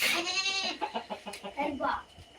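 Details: Native country goat giving one loud, tremulous bleat at the start, followed by people talking, soft clucking and farmyard noise.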